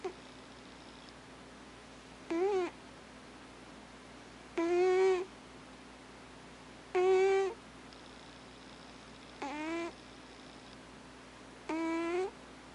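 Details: Male house cat, the dominant cat of the home, snoring while asleep indoors: five tonal, slightly rising snores with bright overtones, each about half a second long and spaced roughly every two and a half seconds, over a steady low hum.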